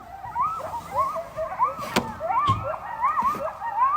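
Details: Coyotes making noise at night in the dark. Several animals overlap in a chorus of wavering, rising-and-falling yips and short howls, repeated constantly, with a few sharp knocks in the background.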